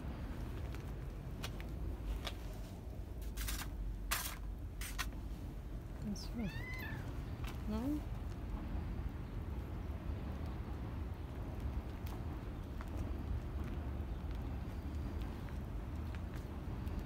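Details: Domestic cat, confused and searching for its food before remembering and starting to eat, gives a short wavering meow midway that bends up and down. A person talks to it throughout, with sharp knocks and clatter early on.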